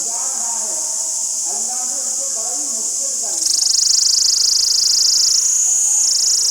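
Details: Tarida in the jungles of Nathiagali: a continuous high-pitched shrill buzz under human speech, then growing louder and pulsing rapidly as the talking stops halfway through.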